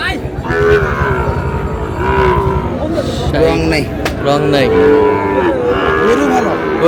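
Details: Several drawn, wavering bellows from Sahiwal bull calves at a market, a Dhaka farmer buying on 16 July, repeating irregularly through the stretch amid a dense hubbub of voices and haggling.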